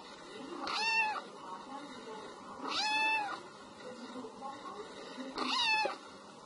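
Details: A kitten cries meow meow three times, each call a short arching meow about two seconds after the last, over a hissy background.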